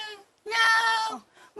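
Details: A female domestic cat gives a long, drawn-out, high-toned meow aimed at her dog companion rather than at people, asking the dog for attention.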